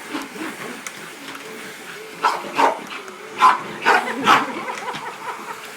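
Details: A female English Bull Terrier playing with a Hoover vacuum cleaner gives a run of short, sharp barks and yips, bunched in a quick burst.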